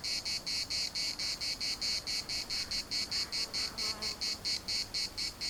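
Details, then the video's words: Cicadas chorusing in the municipal park of Larnaca, Cyprus: a loud, buzzy, rasping song pulsed in even bursts about four times a second, steady throughout, with faint wind in the background. "CICADAS at the municipal Park Larnaca"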